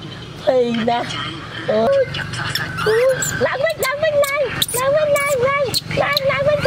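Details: Frightened baby monkey KOTO, left clinging to a tree branch by his mom, cries loudly: a run of sharp, repeated wailing squeals, each with a brief rise and a sustained flat tone, close together, with background hum and brief human voices.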